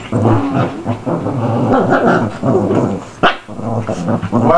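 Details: Shih Tzus (Canis lupus familiaris) fighting and humping growl and snarl in rough, rumbling bursts, with a person talking over them.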